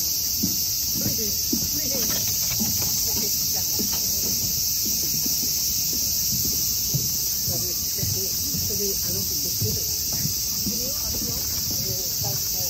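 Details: Cicadas keep up a flat, sustained metallic buzz across the whole recording, while soft irregular ticks and rustles sit underneath.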